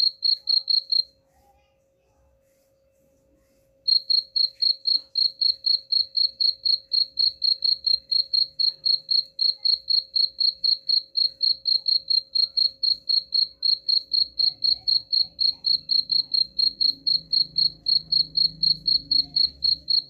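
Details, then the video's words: Cricket chirping, played as a sound said to drive away rats: steady high, pure chirps repeated about four times a second, with a silent gap near the start and a faint low rumble later. "suara jangkrik pengusir tikus ampuh"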